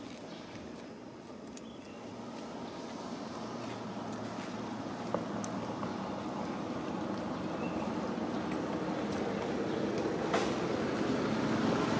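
Steady broadband rumble like distant traffic, with a few sharp clicks and no clear animal voice.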